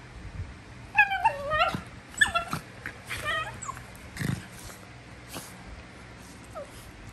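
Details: Prisca, a female Basenji putting on a tough act, gives wavering, rising-and-falling squeals in several bursts over the first three seconds, then quieter yelps and faint rustling.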